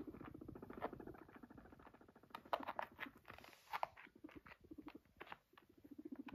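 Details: Max, a guinea pig that came over to its owner, purrs in a low, rapid, stuttering rumble, with a few soft clicks and shuffles.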